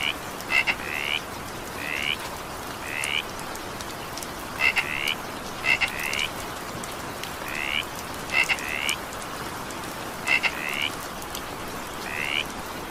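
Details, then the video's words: A frog voice in the evening rain gives a run of short, rising, slurred croaks, often paired with crisp double clicks, about one call per second amid steady patter. "evening rain sound effect with frog sound"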